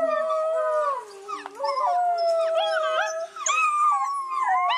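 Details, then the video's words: Several wolves of a pack howl at once, drawn-out wavering tones crossed by quick yipping rises and falls, voices weaving over each other with two short dips in volume. "Just Wolf Packs Howling For Two Minutes"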